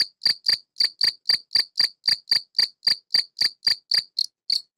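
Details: Field cricket (Gryllus campestris), an adult male living in a tortoise greenhouse, stridulating with its wings to call females: loud, shrill chirps repeated about three times per second, fifteen or so pulses before a short pause, with a silent background.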